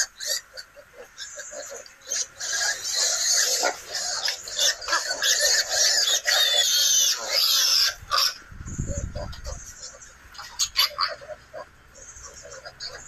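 Wild boar piglets give a busy chorus of shrill, overlapping squeals and grunts.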